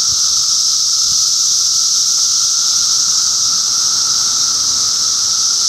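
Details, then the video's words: June 2013 cicada activity in Middlesex County, New Jersey: a dense, even wall of high sizzling buzz with a constant lower whining tone, unchanging throughout. "Cicada Symphony"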